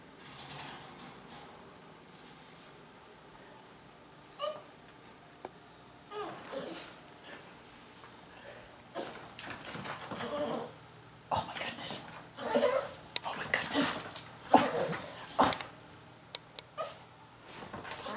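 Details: Sushi, a pet dog in a garage, eager to get at the cat's food, lets out bursts of high whining whimpers that grow more frequent and insistent toward the end, with rustling and indoor room noise around.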